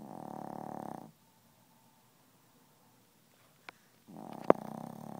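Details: Chihuahua asleep and snoring, not waking; two soft, humming snores with a silent pause between, broken by a short click and a sharp knock.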